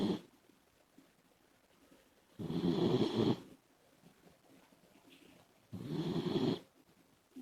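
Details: Komachi, a female Labrador Retriever puppy, snores noisily in her sleep; two long harsh rasping snores about three seconds apart, separated by quiet breathing.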